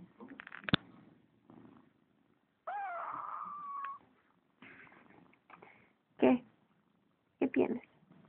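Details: Spoiled pet kitten answering its owner with a unique meow: one long, level, harmonic meow lasting over a second, between a woman's Spanish questions, sharp clicks and short rustling bursts.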